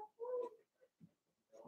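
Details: Blenheim Cavalier King Charles Spaniel puppies from Remy's first litter of six, in an indoor puppy pen during potty training; a short steady whine held about a third of a second, then soft grunts and a rising whimper.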